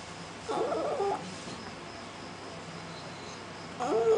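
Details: Cat that cannot meow, seemingly lost its voice, at a front door at night. Two short, scratchy, wavering cries separated by a pause of nearly three seconds, with faint steady hum behind.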